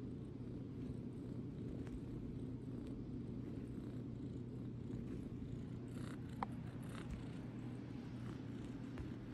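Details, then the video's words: Purring from Idgy, a small runt house cat who paws as she purrs: a continuous low, even rumble, broken only by a few faint clicks and a brief high squeak midway. "Idgy Paw and Purr"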